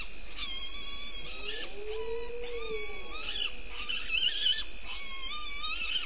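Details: Bushbaby (galago) calling in early morning darkness at 03:33 on 02/09/19, picked up at the Gowrie dam waterhole on Djuma Game Reserve, Sabi Sand Wildtuin, South Africa: repeated short croaking chirps with a drawn-out, arching lower tone mid-clip over a steady night hum.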